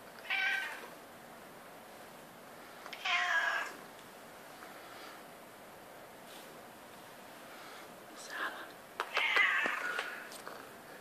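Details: Seven-year-old female domestic medium hair house cat demanding to be patted at 3:30 am: several short meows spaced a few seconds apart, the last one louder and brighter, with quiet room background between calls.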